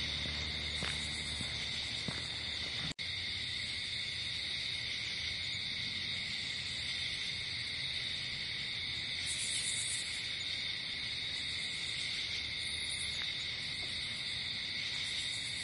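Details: Crickets calling at night outdoors form a constant high, buzzing trill chorus; a few faint clicks early on and a brief drop in sound near the start break the otherwise steady wall of chirping.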